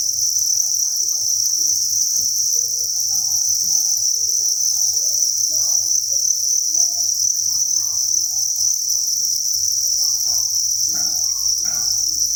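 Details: Crickets massed in a breeding facility on a cricket farm produce a continuous shrill chorus, an unbroken high trill held throughout, over faint scattered low rustles and murmuring sounds.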